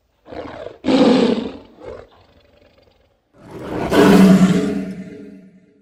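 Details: Lion giving a short grunting roar, a brief low rumble, then a long swelling bellow that rises in strength and fades slowly, deep and harmonic-rich.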